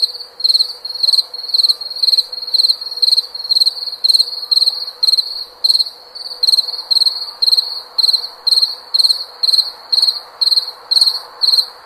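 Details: Cricket singing a steady rhythm of piercing high chirps, around two per second, each burst a quick trill, with soft background hiss.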